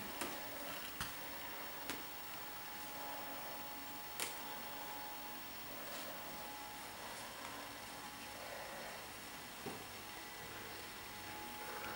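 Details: Quiet indoor room tone with a steady faint hum and occasional soft clicks and taps, with no animal voice heard.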